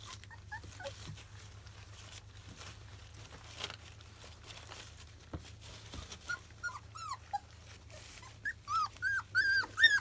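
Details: Labrador Retriever puppies from a field line, 25 days old, at first weaning food; mostly quiet low hum with faint stirring, then a rising burst of high, bent whimpers building over the final two seconds.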